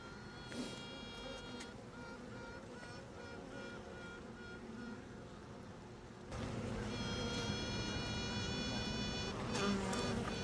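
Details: Newly emerged honey bee queen piping to announce herself: two long, steady, pure-toned pipes with stacked overtones, separated by a pause, over a constant hive buzz.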